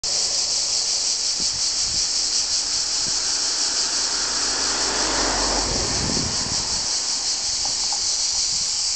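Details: Cicadas on Vir island fill the air with a loud, continuous high-pitched buzzing hiss. Cicada.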